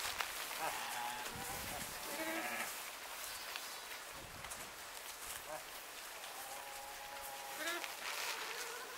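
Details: Six-month-old bottle-fed Romanov lamb outdoors on a 26-degree day, coming up to be fed dried bread rings; several short, wavering, harmonic bleats come in bursts, mixed with a person's voice calling and coaxing, plus rustling and footsteps.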